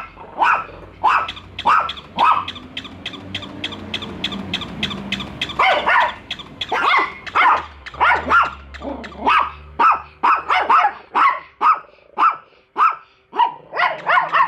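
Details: Barking from two dogs, Bico and Faith, confronting a new toy dog; steady stream of sharp, irregular barks, clustered tightly at times, with a low steady hum underneath.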